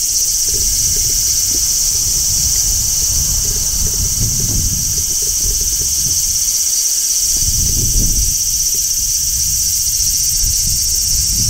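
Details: In midsummer, a large brown cicada on a tree sings a steady, sizzling song that drones on without a break, with low traffic rumble beneath.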